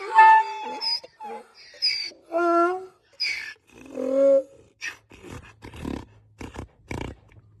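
A donkey brays in loud, harmonic honks that rise and fall, then break into rougher, gasping bursts.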